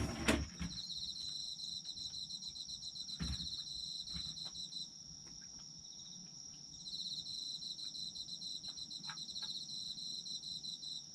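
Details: Autumn insects chirping in a sleep ambience: a steady, high, finely pulsed trill layered in two bands runs throughout, thinning briefly midway and then swelling again, with a few sharp knocks and clicks near the start.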